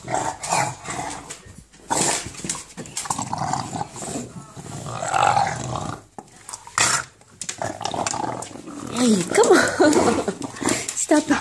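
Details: English bulldog making monster-like growls while playing with a ball, harsh guttural rumbles in uneven bursts, louder toward the end, with a woman's voice speaking between them.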